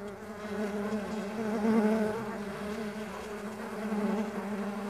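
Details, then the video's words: Buzzing of stingless bees on a bee farm, a continuous low droning hum from several insects close by, briefly louder and slightly higher near the middle as one passes nearer. "Nature Sounds of Stingless Bee and Buzz"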